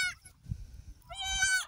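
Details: Goat on a goat farm during a birth of three female kids: a short high bleat, then a longer, steady, nasal bleat held for about half a second, with low handling rumbles between them.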